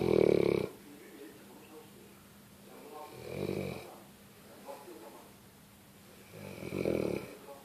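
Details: Sleeping pet dog snoring indoors: three deep, rasping snores, each a broad low rumble lasting about half a second, spaced roughly three seconds apart, with quiet breathing gaps and a faint steady hum in between.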